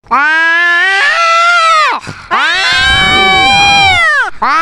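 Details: Domestic cat arguing with another loud-voiced cat, giving long, drawn-out wailing meows. They hold steady, then bend downward at the end. A short rough break separates two sustained yowls, and another cry begins at the close.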